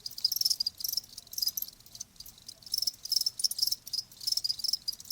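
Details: Crickets calling as a soothing natural sound meant to ease tinnitus, a steady run of high, pulsed chirping bursts with short pauses, no other sounds clear.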